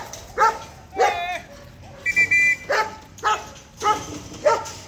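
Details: German Shepherd puppy in the A Class puppy category at an Indonesian Sieger competition, giving about six sharp, harmonic-rich barks spaced roughly half a second to a second apart, with a brief tonal squeal between them and faint background noise.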